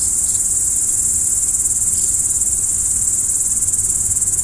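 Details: Crickets calling at night produce an unbroken, very high, steady shrill trill with a fast fine pulse, a quiet low rumble underneath.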